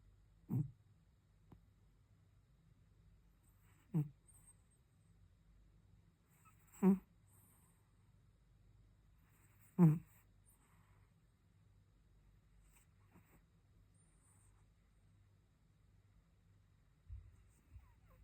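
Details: Cat in deep sleep, snoring in short low grunting breaths spaced roughly three seconds apart, four clear snores then fainter ones, in a quiet room.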